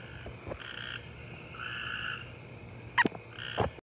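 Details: Frog giving three drawn-out, buzzy croaks, each lasting under a second with short gaps between, against a steady background hum, with two sharp knocks near the end.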